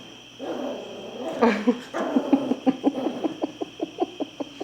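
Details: Heidi, a new puppy, gives a rapid run of short yaps and squeaks, about three per second after an opening whine, with music and people in the background.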